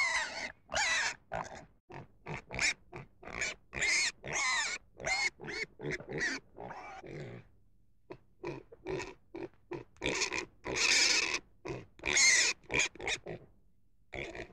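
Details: Pig producing a rapid, uneven string of short harsh squeals and grunts, several per second, with louder drawn-out squeals near the end.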